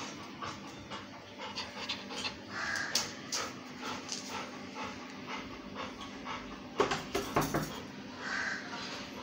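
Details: Pet Labrador Retriever panting in quick rhythmic breaths, roughly two or three per second, with a burst of louder huffs near the end and light handling noises.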